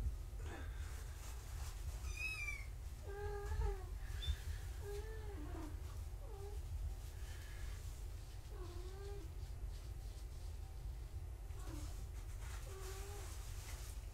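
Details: Foster kittens of the cat Gaia, indoors on a live foster cam around weigh-in time, give a series of short, high, arching meows, several in quick runs spaced a second or two apart, over a steady low room hum with faint handling clatter.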